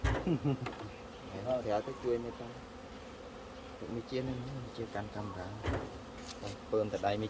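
A low, continuous hum of honey bee wings runs through the whole recording. Voices talking nearby come and go over the buzzing.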